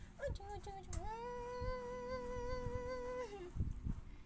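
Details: Siberian Husky puppy arguing: a single drawn-out howling woo that slides upward, holds a steady wavering pitch for about two seconds, then drops away at the end, with soft music running underneath.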